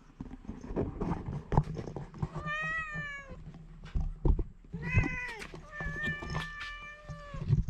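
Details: Two pet cats eat dry food indoors, with crunching and clicking of kibble throughout; clear harmonic meows rise and fall at about 2.5, 5 and 6 to 7 seconds between the chewing noises.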